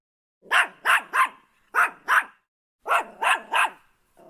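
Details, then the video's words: Yorkshire Terrier barking in three quick bursts: sharp, high yaps in groups of three, two and three, each bark short and bright, separated by brief silences, nothing else audible. "Yorkshire Terrier Dog Barking Sound Effect [ Yorkie Barking ]"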